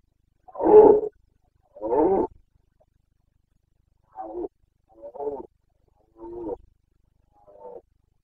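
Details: Rutting Carpathian stag in Bucovina's mountain forests, breeding season, 29 September 2022: two loud, rough roars followed by four shorter, quieter grunting bellows spaced about a second apart, nothing else audible.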